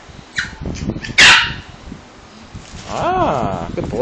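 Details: Morkie puppy, 13 weeks old, kept with a Pomeranian puppy, chirping instead of barking: a sharp loud yelp, then a squeaky arched chirp that rises and falls, with Spanish speech in the room.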